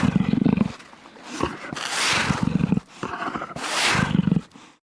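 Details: Jaguar giving three heavy, hoarse roars about two seconds apart, each a low throaty grunt swelling into a breathy rasp.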